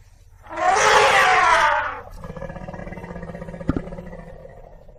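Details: African elephant giving a loud, harsh, blaring trumpet lasting over a second, followed by a lower, fading rumble and a couple of sharp knocks.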